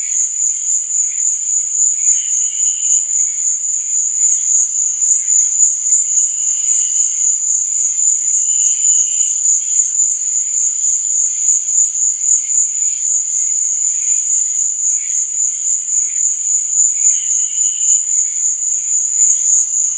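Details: Night chorus of crickets, a continuous shrill buzzing trill at very high pitch. Brief lower chirping bursts recur every few seconds in the background.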